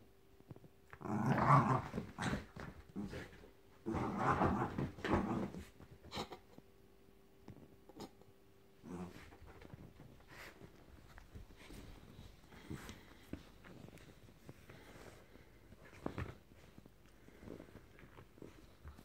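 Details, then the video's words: Frankie the Jack Russell Terrier playing rough with a teddy; two loud rumbling growl bursts early on, then softer scattered growls and rustling for the rest. "Jack Russell Making Cute Noises & Thrashing Teddy"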